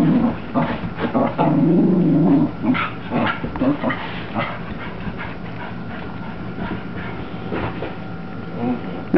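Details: Female Cocker Spaniel named Mocha, indoors, doing excited zoomies after her bath: a low rumbling growl lasting over a second, then scattered short yips and snorts. Music plays throughout, and a person calls her 'pretty girl' and her name.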